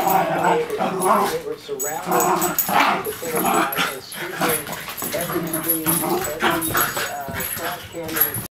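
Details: Rat Terriers at play, giving a busy mix of sharp yips, short barks and whimpering growls that overlap continuously, with human talk mixed in and a faint high steady tone above.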